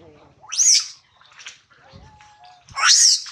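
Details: Hungry baby monkey Adler, missing his mom and held by a small monkey, gives two loud shrill screams that rise sharply and fall, about two seconds apart, with faint squeaks and a soft thin whistle between them.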